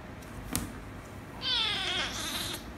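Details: Kitten meowing indoors, a rescue kitten angered by a ginger kitten: one high, strained meow of about a second, slightly descending, after a faint click.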